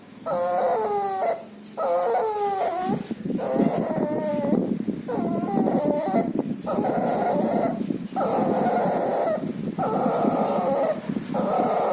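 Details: Puppy ill with pneumonia and distemper breathing loudly, wheezy tonal whines repeating about every one and a half seconds, later breaths overlaid by a rough, broadband rasping background.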